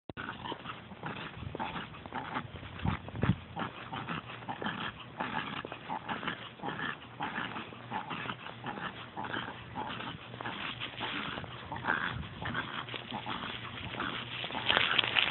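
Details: A 7-year-old female Pekingese pants rapidly, over-stimulated while out on a walk. Quick, breathy broadband huffs repeat steadily through the clip, some louder bursts mixed in, with a person nearby urging her to slow down.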